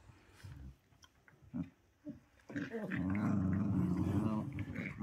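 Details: Dog growling during a playful 'growl yoga' session: quiet sounds at first, then one sustained, low, rumbling growl lasting about two seconds.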